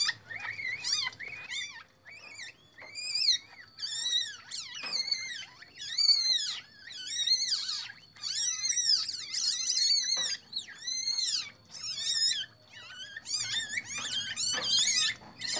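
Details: Captive Asian palm civets in an Indonesian breeding enclosure, during the introduction and pairing of a Bali brown with a normal civet and a birth of three kits: high, wavering harmonic squeals in rapid bursts, with pauses between, in a small room.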